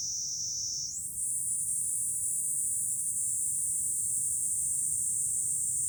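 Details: July cicada chorus heard from a high vantage point above Fukuoka city, Japan: a continuous shrill buzzing drone that jumps higher in pitch after about a second, then holds evenly, over a soft low background hum.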